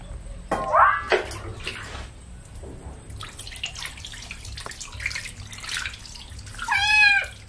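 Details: Kitten being bathed with baby shampoo gives two short rising-falling meows near the start and a louder arched meow near the end, with splashing water and rubbing noises in between.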